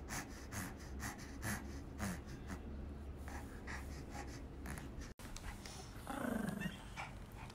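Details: Pomeranian named Romeo pants in rapid, steady bursts indoors, followed by a short low whine near the end.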